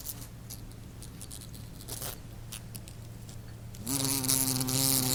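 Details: Wasp flight buzz. Faint clicks and rustles come first, then a loud droning hum starts abruptly near the end and holds a steady pitch.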